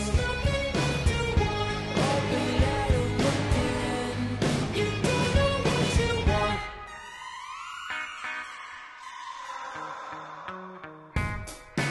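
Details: Pop-style music with guitar and a singing voice plays throughout, then turns into softer sustained tones, with no animal sound heard.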